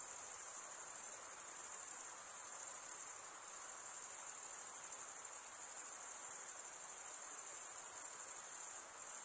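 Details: Crickets stridulating, males rubbing one wing's toothed vein against the other, in a dense, continuous high-pitched shimmering trill that holds steady throughout with slight pulsing swells. No other sounds stand out.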